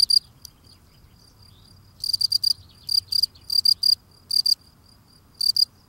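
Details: Field cricket singing while cleaning the steps at its burrow entrance: loud, high-pitched chirps of three to four rapid pulses each, given in irregular groups with short silent gaps, over a quiet low rumble.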